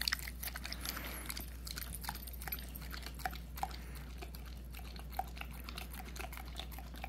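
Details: Puppy almost a year old eating peanut butter indoors: a steady run of wet, sticky smacking and licking clicks, irregular and close, over a constant low hum.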